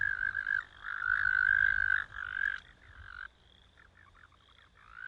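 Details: American toad singing then croaking: swelling, buzzy trilled bursts broken by short gaps for about three seconds, followed by quieter, choppy fragmented notes and a brief trill returning at the close.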